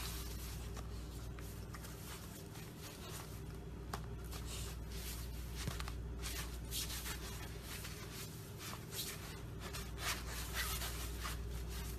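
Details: Indoor room tone with steady low hum, shuffling, light tapping and faint handling sounds, with no animal voice heard.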